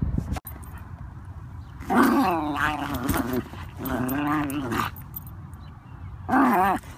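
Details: Felix, a Wire Fox Terrier riding in a stroller, wants out to confront geese nearby; three drawn-out, wavering whining yowls of about a second each rise and fall over a low outdoor rumble.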